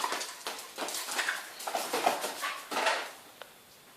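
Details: Panting Welsh Corgi Bori: fast, regular breathy huffs, loud at first and then fading into quieter breaths over the last second, with no other clear sounds.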